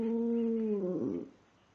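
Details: Talkative pet dog, a female, making a sustained, steady crooning tone that holds level for about a second, then wavers and breaks into a short warbling groan before fading, indoors.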